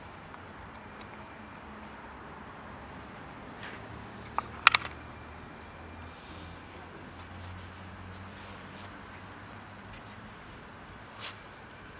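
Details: Outdoor ambience with a low steady rumble like distant traffic, a short sharp clatter near the middle and a faint thud later; no animal voice stands out.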